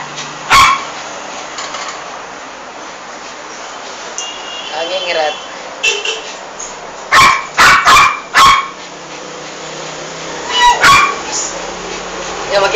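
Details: Female toy poodle attacking and killing a big rat in a bathroom, behaving aggressively; one sharp bark early, then a rapid burst of four barks and two more near the end, with a person talking in between.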